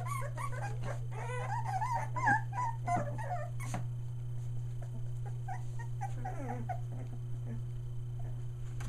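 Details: Three-week-old Australian Shepherd pups near Mooresville, North Carolina, letting out rapid bursts of squeaky, wavering whimpers for the first few seconds, then softer scattered whines and small yips, over a low steady hum.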